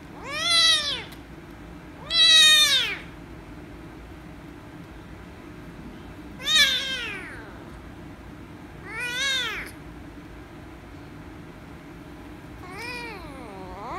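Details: Angry rescue kitten meowing loudly when petted: five sharp, harmonic-rich meows, each under a second, spaced irregularly about two to four seconds apart, over a low steady background hum.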